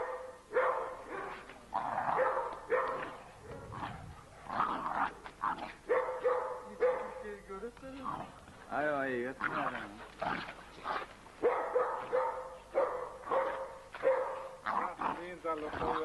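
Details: Turkmen Alabai puppies playing wildly, giving a run of short harmonic yelps and whiny barks, some wavering and rising, mixed with human voices throughout.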